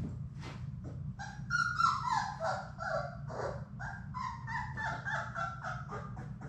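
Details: Labrador Retriever puppies, a litter of six from Sadie, at play in their indoor play room: a near-continuous run of high, wavering whines and yelps overlapping one another, over a steady low mechanical hum.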